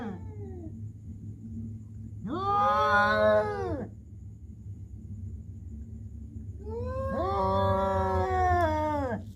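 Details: Cats making human-like sounds: a brief fading cry, then two long wavering yowls that rise and fall in pitch, each lasting roughly two seconds, with a constant low background hum.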